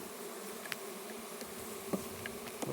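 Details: Russian honey bees droning steadily inside their hive during its first opening on a red stand, a continuous low buzz overlaid by sharp taps and scrapes as frames are worked.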